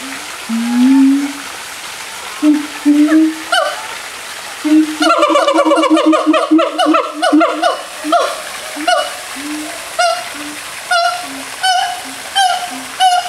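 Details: A siamang (Symphalangus syndactylus) at Faunaland Ancol gives low, rising whoops that build into a fast, ringing series of barking notes, with applause from onlookers.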